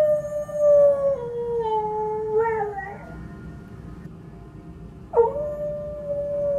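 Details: A female Siberian husky howls in response to a ringing church bell, as she always does: long, mournful howls that slide downward, then she starts again with a rising note.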